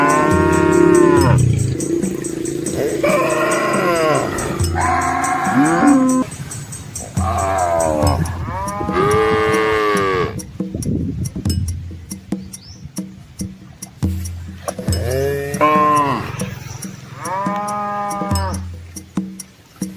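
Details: Large herd of red Asian village cows and their calves wading across a small flowing river in the countryside; repeated loud, drawn-out moos, several overlapping, with rhythmic high ticking and a steady low drone in the background.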